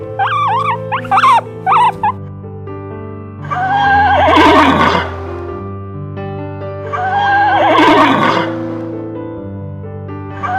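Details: Horse neighing: two long, loud, shaky whinnies that fall in pitch, about four seconds apart. Steady background music plays throughout, and short chirping calls from another animal open the recording.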